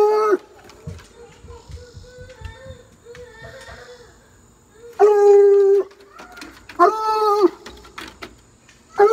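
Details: Blue, a pet Bluetick Coonhound, bays at a rabbit in a backyard: drawn-out, rich, mid-pitched bay notes in four bursts, the longest about a second, separated by quiet stretches with faint low rustling.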